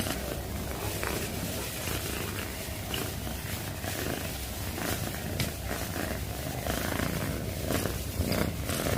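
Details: Domestic cat purring, sleepy and relaxed: a steady, low rumbling purr running unbroken throughout, with soft rhythmic pulsing and faint higher rustles or clicks scattered on top.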